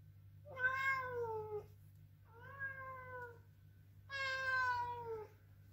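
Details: Bowie, a male Ragdoll cat, protesting loudly with three long drawn-out meows, each slightly falling in pitch and rich in harmonics, separated by short pauses over a steady low hum indoors.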